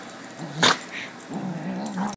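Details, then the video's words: A low, rumbling puppy growl during play, steady and droning, broken by a sharp click or knock partway through. "Puppy play"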